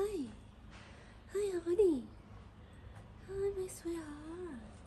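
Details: Tabby cat, a stray fed on the street in Morocco, meowing sweetly: short falling meows, then a longer wavering meow that slides down at the end, with quiet pauses between calls.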